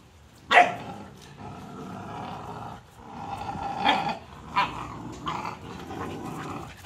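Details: Cane Corso puppies at play, a sharp loud yelp near the start followed by ongoing low growling and scattered short barks and yips, with a louder bark-like burst just before the four-second mark.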